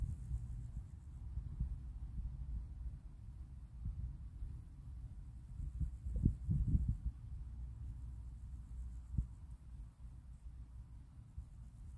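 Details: A deep, muffled rumble fills the recording, broken by soft, uneven thuds like handling or wind noise. No animal voice or insect chirping comes through.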